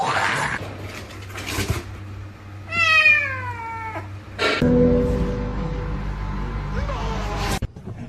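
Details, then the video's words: Domestic cat giving one drawn-out meow that starts high and slides steadily downward over about a second, with clear ringing overtones. A steady low hum sits underneath, and short bursts of other household noise come before and after. "cats meowing"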